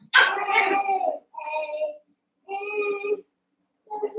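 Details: Eight Cavalier King Charles Spaniel puppies, about seven weeks old, wrestling and playing together in an indoor pen: a loud, drawn-out yelp is followed by three shorter, tonal whining yips, separated by brief silences.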